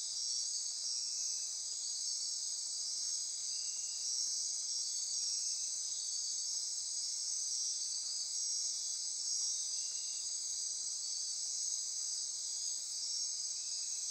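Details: Insects chorusing after dark in lush Costa Rican forest near Corcovado National Park on the Osa Peninsula: unbroken high buzzing and trilling, with softer pulses recurring every few seconds beneath the dominant shrill band.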